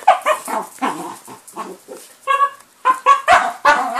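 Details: Indoors on Christmas morning, December 25th 2012, a miniature Jack Russell Terrier and a four-year-old Jack Russell–Chihuahua cross open their presents, giving a rapid series of sharp, high yips and whimpers, several per second with brief pauses.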